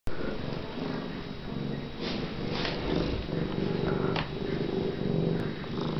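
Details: A pregnant F2 Sphynx hairless cat purring indoors: a steady low rumbling drone runs throughout, with faint broadband rustles near two and four seconds.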